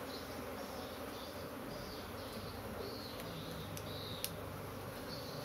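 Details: Restless honey bees from a kept colony buzzing loudly together, a thick constant drone with a low rumbling undertone and a few faint high chirping notes near the end.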